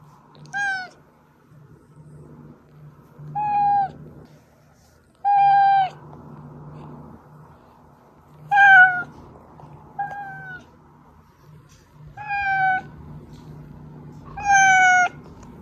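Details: Pet cat Oz meowing, a sound played to lure the hiding cats Meonji and Dubu out: seven ringing harmonic meows, brief to drawn-out, roughly every two seconds, over a soft constant low hum.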